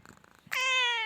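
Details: A nine-month-old male cat, offered at the Khulna cat market, lets out a clear, drawn-out meow with a steady, slightly falling pitch after a moment of faint background chatter.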